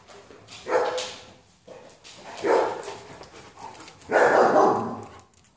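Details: German Shepherd, possibly Belle or Bill, vocalizing at home while a person asks what it is holding: three loud, rough, harmonic barks or grumbles, each about half a second long, spaced roughly 1.5 seconds apart, in a quiet room.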